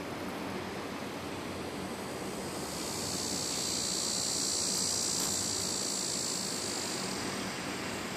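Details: Tibicen dorsatus cicada on a plant in a grassy hilltop patch near a parking lot in southwest Topeka, Kansas, with Tibicen auriferus nearby; a continuous high-pitched buzzing drone rises midway, peaks, then fades over a soft background hiss.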